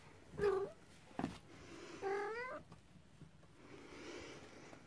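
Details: Cornish Rex and Scottish Fold kittens on their first time out, indoors. Two short, high harmonic meows, the second rising then falling, separated by a sharp click, with faint hiss between.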